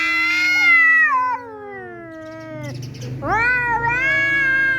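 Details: Cats arguing at home, an intruding tomcat facing an angry resident cat: a loud yowl starting high and gliding steadily downward, a brief lower murmur, then another rising, sustained wail, over a faint low hum.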